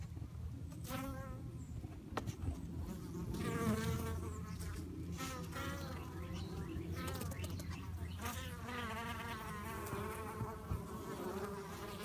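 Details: Fighting bees buzzing over a deep continuous hum. Wavering harmonic drones surge in bursts of a second or two, with a few sharp clicks and faint high chirps.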